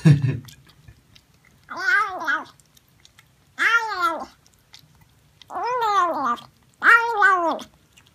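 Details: Cat meowing while eating, one of a set of cats and kittens that seem to say "yum yum yum": four drawn-out meows that rise and then fall, each under a second long, about every one and a half seconds, after a short low thump.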